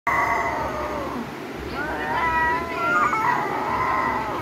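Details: Domestic cats in a fight give a wavering, drawn-out yowl with stacked harmonics that bends up and down in pitch, rising in loudness toward the end, over a steady background hum.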